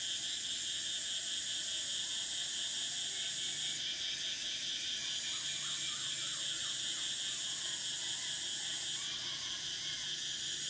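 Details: Cicadas droning through summer, a loud high whine in layered bands, the upper strand pausing near four seconds and again near nine, with soft chirps of another creature faintly underneath.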